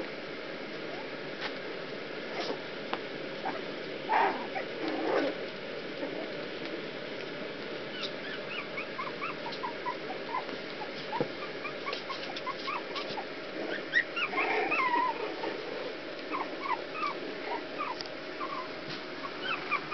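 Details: Several puppies whimpering while escaping from a pool. The whines are short, high-pitched and squeaky, with many brief rising cries scattered throughout. A few louder bursts occur around the middle, over a steady low background hiss.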